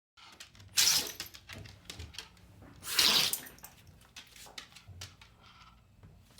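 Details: Boston Terrier sneezing: two sharp, explosive hissing bursts about two seconds apart, each brief and forceful, with softer snuffling and small clicks between them in a quiet indoor room.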